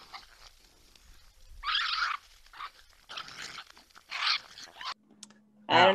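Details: Several raccoons fight over food in the woods, squabbling in harsh, raspy snarls and churring screeches in ragged half-second bursts that end in a louder shrill squeal; the fight is very loud outdoors.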